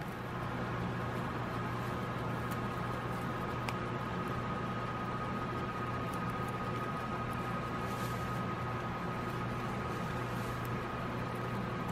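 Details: Constant hiss with a steady electrical hum and a thin high tone, plus a few faint clicks.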